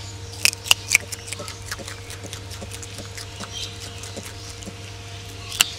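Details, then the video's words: Crisp crunching of ring-tailed lemurs feeding: a cluster of loud bites at the start, then quieter, regular chewing clicks over a steady hum, with one more sharp crunch at the end. "Ring-tailed lemurs ASMR"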